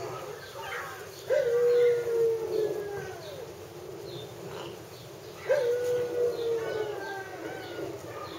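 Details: Whimpering from Hungarian Vizsla pups: two drawn-out, high whines, each jumping up briefly and then sagging slowly in pitch over about a second and a half, spaced roughly four seconds apart over a soft murmuring background.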